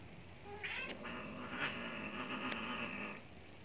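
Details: Neutered one-year-old Maine Coon courting an elderly Persian cat, giving one sustained, steady, drawn-out moaning yowl lasting over two seconds against low background hum.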